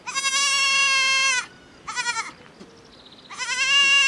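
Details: Young miniature goat calling for its mother within the farm herd, giving loud sustained nasal bleats, a long one, a short one, then another drawn-out cry, with a faint distant bleat in the gap.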